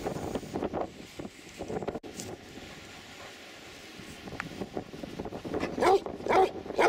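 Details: A dog on the sandy beach at Three Cliffs Bay, Wales, barks in short bursts at the start, falls quiet through steady wind noise, then lets out a quick run of sharp, harmonic barks near the end.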